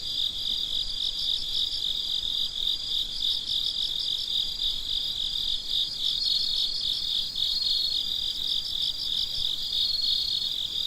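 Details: Crickets singing in the middle of the night, a constant high trill of fast repeated chirps from many callers, an occasional brighter note rising above the mass.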